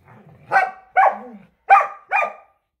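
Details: Samoyed Luma and Keeshond Zuko chase each other around a yard, battling for a squeaky hedgehog toy. Four sharp, bright barks arrive in two pairs, with a soft low growl at the start.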